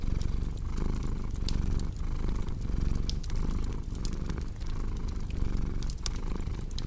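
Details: Domestic cat purring with a deep, steady rumble that swells and fades with each breath, about every 0.7 seconds, while a crackling fireplace adds sharp pops and snaps over the top.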